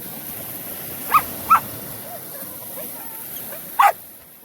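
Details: Australian Shepherds at the beach on their first ocean swim day: three short, sharp barks, two in quick succession and then a third after a pause of about two seconds, over a steady hiss of surf.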